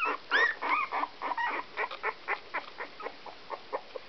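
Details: Whippet and Miniature Poodle cross puppies, Whoodles 16 days old, produce rapid little squeaks and one bright curling whine near the start, the calls then softening into evenly spaced short peeps.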